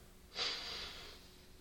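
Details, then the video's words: Bublik, a beagle, asleep after a good walk, gives one breathy, hissing snore lasting under a second, rising sharply then fading slowly in a small quiet room. "Храп бигля во сне))) || Snoring Beagle in a dream)))"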